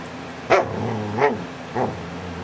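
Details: A dog named DaVinci makes funny sounds, July 2011: a sharp yip, then two rising-and-falling whiny grumbles in quick succession.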